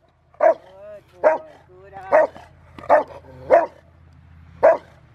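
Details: River v Schwarzerwald, a five-year-old male Rottweiler in bite training on January 20, 2020, preparing for a ZTP trial, gives six loud, deep barks spaced under a second apart, with faint background hum.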